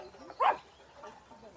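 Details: A neighbour's dog gives a single short bark, heard from a garden during an inspection of frost-damaged grapevines, with a woman speaking Russian nearby.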